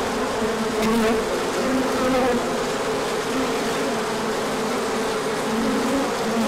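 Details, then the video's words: Bees pouring out for an orientation flight on a sunny day following colder weather, 24 March 2024; steady loud hum with brief brighter buzzes of single bees passing close every second or so. "Large Orientation Flight."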